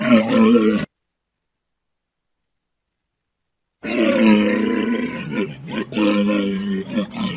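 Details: Walrus giving deep, harmonic roaring groans: a short call of under a second, then a silence of about three seconds, then a longer wavering bellow of about three and a half seconds with brief breaks and shifting tone.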